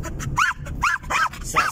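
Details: A male German Jagdterrier kept as a pet, happy to ride along in the car, gives four sharp rising-and-falling yelps spaced about half a second apart against a constant low vehicle hum.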